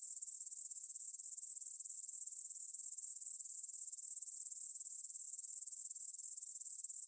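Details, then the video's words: Grasshoppers stridulating in a meadow field near the Svensky monastery in Bryansk, Russia, at 9pm on 6 September 2020, recorded in stereo on a Tascam DR-44WL: a dense, high, even shimmer of rapid pulses that runs steadily throughout. "Звук для сна: кузнечики на лугу – Grasshopper Sounds in the Field for a Quick Sleep"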